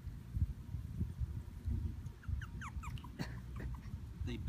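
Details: Havanese puppies at a breeder in Plano, Texas, give short high whimpering squeaks, curved rising-falling notes clustered around the third second, over low handling rumble and a woman's voice speaking.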